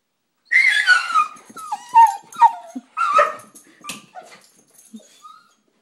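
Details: Pet dog whimpering after spotting a squirrel, eager to go outside: a series of high, wavering whines and short yelping whimpers, some sliding downward, in irregular bursts over about five seconds, with a person speaking briefly beforehand.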